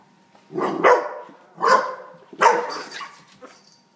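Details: Teacup Chihuahua guarding its treat from a Great Pyrenees puppy at home: three harsh, noisy barks spaced under a second apart, each a rough burst trailing off, over a faint steady indoor hum.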